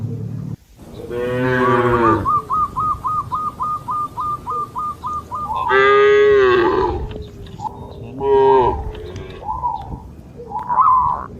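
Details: Dozens of cattle in a herd leaping over a path border between green rice fields in the open countryside; two long, rich, drawn-out moos sound, separated by a quick run of bright, repeated whistle-like notes, with further short tonal notes after.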